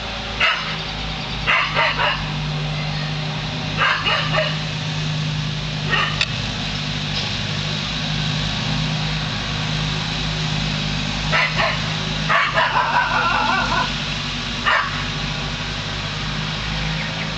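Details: Lasky, a dog, repeatedly barks at a hot air balloon, treating it as an intruder. Scattered barks, singles and quick clusters, over a steady low drone.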